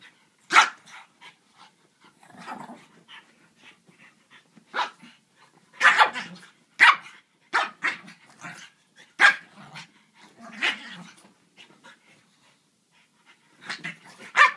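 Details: French Bulldog at play with a griffon: a scattered run of short, sharp barks and gruff grunts, loudest around the middle, with quieter snorts filling the gaps between outbursts.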